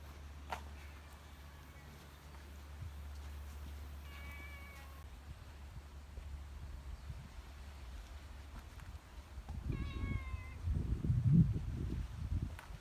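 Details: Cat outside a guesthouse on Sanagi Island, a cat island in Kagawa, Japan, giving three separate meows. The first is faint, the next two are clearer, falling, harmonic-rich, about six seconds apart, over a steady low rumble and bursts of handling noise.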